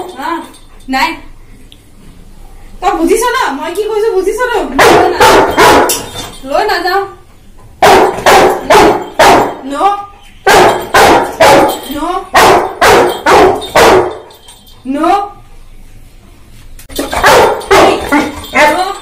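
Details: An 11-month-old Labrador Retriever argues with its owner at the top of its voice: loud, sharp barks come in quick runs separated by short pauses, with drawn-out whiny vocal moans between the bursts and a human voice at times.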